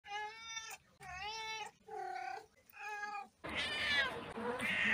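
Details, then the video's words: Domestic cat giving four drawn-out harmonic meows in quick succession, each under a second, followed by a louder, harsher, noisier wail at the end. "Cat Meows Compilation"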